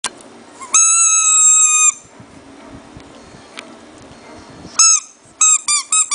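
A Shih Tzu puppy gives a long, steady, high whine, then a few short squeaky whimpers.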